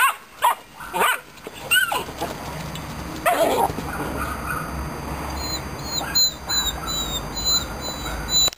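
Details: Aggressive Romanian Mioritic Shepherd Dog puppy giving short yelping barks early on, then quieter whining yips over a steady background hiss.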